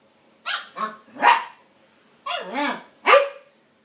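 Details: Siberian Husky puppy, female, trying to coax a border collie into friendship and play, giving five short, yodelling, talkative vocal bursts with wavering pitch, spaced irregularly, two close together, a pause, then three more.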